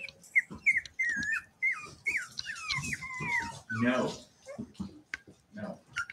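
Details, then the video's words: Cavalier King Charles Spaniel puppies at play indoors in a family home. A run of high, bending whines and squeals, several falling in pitch, is followed by a rougher growly burst and scattered scuffing noises. "Cavalier Puppies Live: Puppies Play in the House!"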